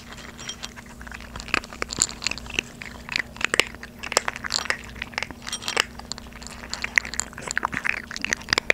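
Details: Two 3.5-month-old Maltese puppies, a brother and sister, crunch dry kibble indoors on their first day of eating it unsoaked. A microphone is held close. Dense, rapid crisp crunches and bites overlap throughout over a steady low hum.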